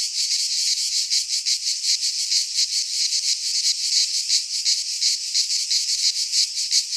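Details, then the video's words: Greek pine-forest cicadas in midsummer; a strident, high buzzing that swells and fades in rhythmic waves roughly one and a half times a second, continuous with nothing else heard. "Cicadas singing in midsummer - Nature sounds from the Greek fauna - Sounds of cicadas"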